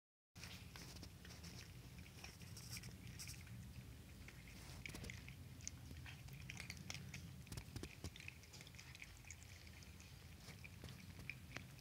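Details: Hungry kittens crunching dry food from a bowl at night indoors: dense, irregular crisp clicks and crackles run continuously over a steady low hum.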